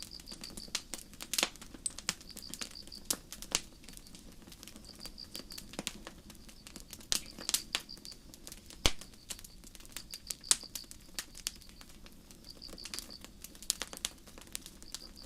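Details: On a starry forest night crickets keep up soft, high-pitched trilled chirps in regular bursts, accompanied by the steady crackle and sudden sharp pops of a nearby campfire.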